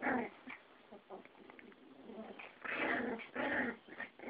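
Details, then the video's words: Fighting Yorkie and Pomeranian, friends' dogs, producing continuous rough growls and snarls, swelling into louder bursts near the end, with scuffling underneath. "Yorkie vs. Pomeranian pt. 1"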